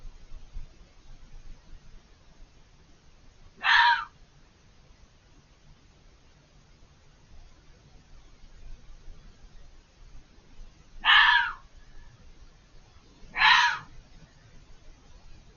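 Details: Vocal fox hidden behind a hedge, screaming for over five minutes; three harsh, hoarse shrieks, each about half a second, spaced irregularly several seconds apart with stillness between.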